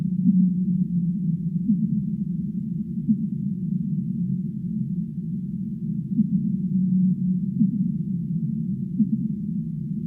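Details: Whale calls from the deep sea: low, wavering moans and short upswept tones rising from a constant deep rumble, with a steadier humming tone returning about every six seconds; nothing above a low, muffled range.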